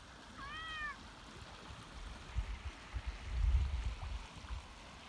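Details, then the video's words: Max, a black cat from Red River, New Mexico, perched near water gives one clear, short, slightly falling meow, then stays quiet over a steady rushing stream with a few low thumps. "Max The Black Cat Thinks He’s a Dog"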